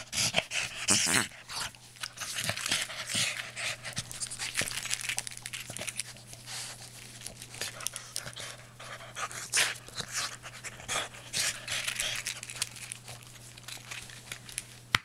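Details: Boston Terrier at play with a blanket indoors, panting and snuffling in rapid breathy bursts with occasional small whimpers, blanket rustling throughout over a constant low electrical hum.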